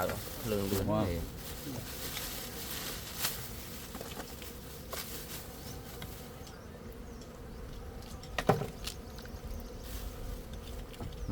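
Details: A swarm of gold honey bees hums in an even, low drone with a steady mid-pitched tone; a voice speaks briefly at the start and a few sharp knocks sound later.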